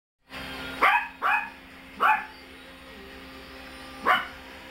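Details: Tiny Chihuahua x Brussels Griffon designer puppies at play, giving four short, high, sharply falling yips with bright harmonics: two close together near the first second, one at two seconds, a last at four seconds, over a quiet room hum.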